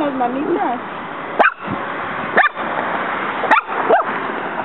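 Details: Muñeca, a female pet dog, fights a praying mantis in a backyard while the insect strikes back. After brief human speech, four sharp, rising yipping barks come about one second apart.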